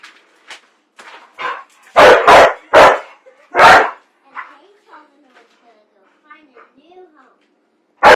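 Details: Pet dog said to hate popcorn and Friday nights lets out a burst of four loud, rough barks in quick succession, followed by quieter whines and soft human voices, then one final sharp bark.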